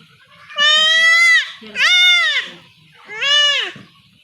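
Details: Goat kid being castrated at home in a Bangladeshi village, bleating three times in distress, each cry loud, harmonic and slightly falling, with faint speech between them.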